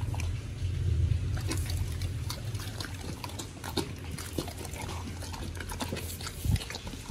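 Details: Pit bull dogs eating raw food, a giant white snapper, in a raw-feeding meal recorded in October 2023; wet, crunchy chewing and slurping bites at irregular intervals, with low background hum.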